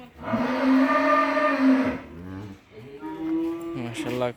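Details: Mundi dairy cow on a farm in Faridpur district, one of three cows: a loud, sustained moo of nearly two seconds, then a shorter, wavering moo that rises toward the end.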